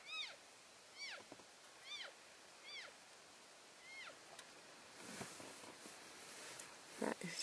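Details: Herd of elk keeping in touch while moving from one grazing area to another on February 3, 2012. Five high, squealing mews arch up and down, spaced about a second apart. Clicks and rustling noises follow in the last seconds.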